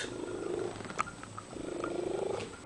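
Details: Domestic cat described as singing, giving two long, low, wavering drawn-out meows of about a second each, split by a short pause, with faint clicks and a steady high hum in the background.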